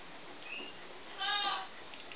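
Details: Newborn Scottish Terrier puppies, born 13 November 2011, indoors: one short, high, strained squeal with a layered, nasal tone, lasting about half a second. A faint thin tone comes before it over steady background hiss.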